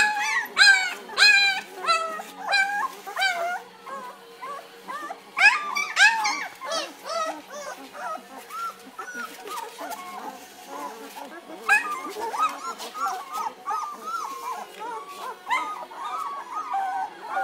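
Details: German Shepherd puppies two weeks old, eyes just opening, whimpering and squealing in a litter: high, bending whines that rise and fall, some squeaky and upward-sweeping, overlapping from several pups in quick irregular bursts.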